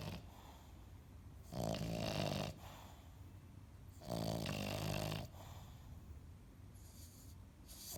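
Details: Piglet, a sleeping pet dog that acts like a pig, snoring indoors: two long, low, rumbling breaths about three seconds apart, each roughly a second long, with quiet breathing between.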